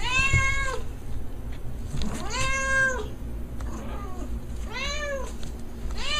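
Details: House cat or kitten giving a string of four tonal meows, uneven in spacing, the later ones shorter and arching in pitch, with a constant low hum underneath.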